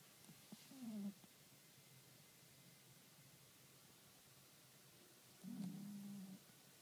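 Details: Sleeping cat named Kuro, 28 April 2013, giving two soft, low snores roughly four and a half seconds apart, each a slightly wavering hum under a second long, with faint background hiss between.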